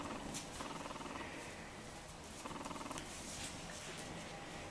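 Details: Nine-week-old male Jack Russell Terrier puppy playing with a ball and a squeaky toy; low pulsed growling rumbles come in two bursts of rapid repeated pulses, with a soft rustle and handling noise throughout.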